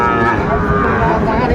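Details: Sahiwal bull calves at Raniganj cattle market (haat), Dinajpur, on 2 May 2024: a sustained, flat, droning low moo fills the whole stretch, over a steady murmur of market crowd noise.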